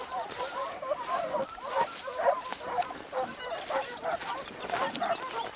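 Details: Segugio Italiano hound baying during a hare hunt near Sofiko, Evros, Greece, on 12 June 2021; a run of quick, overlapping yelping bays, roughly two per second, rising and falling in loudness, with a rough outdoor background.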